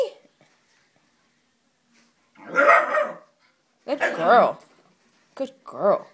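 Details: Female wheaten Scottish Terrier indoors, reacting to a fake Scottie dog as if it were another dog; four loud harsh barks in two pairs, with short silent gaps between them.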